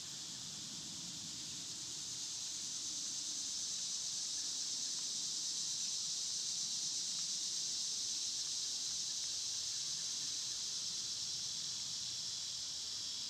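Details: Summer cicadas chorus outdoors in a steady, high-pitched buzzing drone that swells after about two seconds and then holds constant, with faint low rustling beneath.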